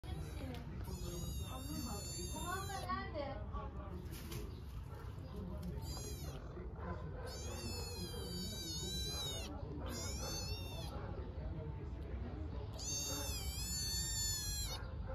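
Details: Hungry stray kitten in Istanbul meowing loudly for its mother cat: long, high, harmonic-rich meows in several bursts, some wavering and some held for about two seconds, while a person talks in Turkish over steady background noise.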